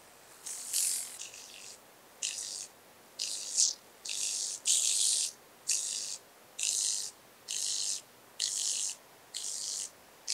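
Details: Speckled buzzing grasshopper (Bryodemella tuberculata) recorded at Vorderriss, Germany, on 11 August 2022; a run of short, hissing, high rasps repeated roughly every 0.7 seconds, some louder and buzzier than others.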